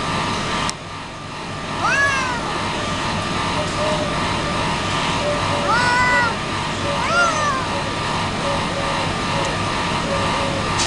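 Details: Pet domestic cat meowing three times, arched harmonic cries with a drawn-out middle call, over a constant low hum and faint background noise.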